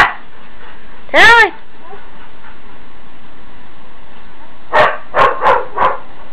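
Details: Huskies wanting to go out in the morning: a single arched, wavering howl, quiet gap, then a quick run of four short barks.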